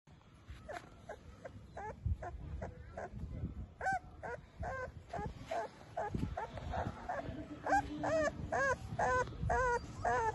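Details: Bullmastiff puppy in Dehradun giving high, bending whimpers and yelps roughly twice a second, each cry rising then falling, against faint low background rumble.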